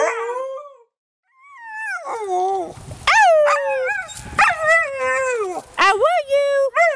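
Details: Huskies singing and talking, gliding howls that bend up and down in short phrases, some sharp rising yelps between, with a brief silent gap near the start and human voices mixed in.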